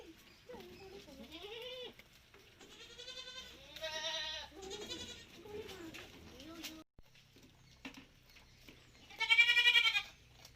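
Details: Malabari goats on a farm outing: a series of overlapping wavering bleats from several animals, some quavering and broken, then a pause and one loud, high bleat near the end.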